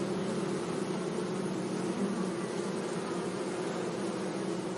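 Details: Bees buzzing among flowers in a sunny meadow. A steady low hum holds two warm bands, one lower and one about twice as high, over a soft broadband hiss, with no other clear sounds.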